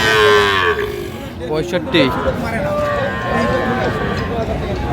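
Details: Sahiwal calves at a busy Kurigram livestock market in April 2025: a brief moo sliding down in pitch, followed by clattering, people talking and market bustle.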